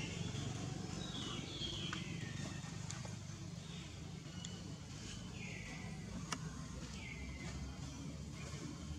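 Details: Baby monkey Jinx, a wild monkey, cries sadly for milk because old mother Jade's milk is dry; thin, high descending wails recur every second or two over a steady low rumble of background noise.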